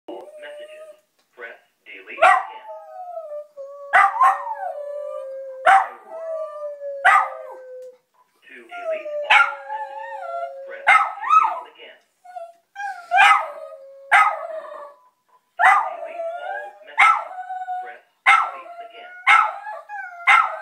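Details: Pet dog Teddy howling, annoyed with the answering machine: long wavering tones gliding down around the middle range, broken by sharp yelping bursts every second or so, with brief gaps between phrases.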